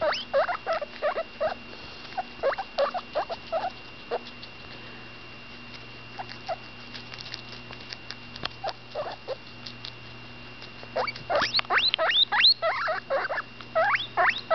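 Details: About ten days old, the female cavy Butterscotch vocalizes while eating; soft chirping squeaks fade to near silence midway, then return as a louder burst of sharply rising squeals toward the end, with a quiet background hum.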